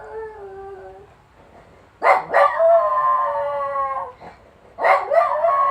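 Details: Sally, a Jack Russell terrier, howling in response to an ambulance siren: a soft wavering howl, then sharp yips breaking into a loud, drawn-out harmonic howl that slides downward, with another yip-led howl rising at the end.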